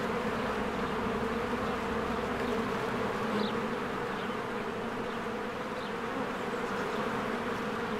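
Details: Springtime honeybee colony at its hive, bees busily coming and going: a constant low buzzing drone of many wings, with a couple of faint bird chirps over the hum.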